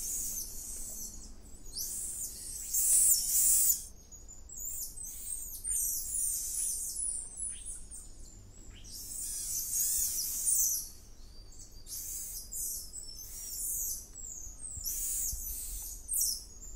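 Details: Wild, endangered golden lion tamarins in the Atlantic Forest outside Rio de Janeiro call with piercing, high, bird-like trills and squeaky chirps in clustered bursts with short pauses, over a faint low hum.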